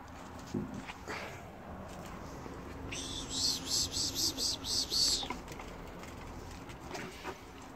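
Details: Young ferret kits being handled and tamed during play time; a short burst of about seven rapid, high-pitched squeaky pulses packed into two seconds, set among soft rustling and handling noise.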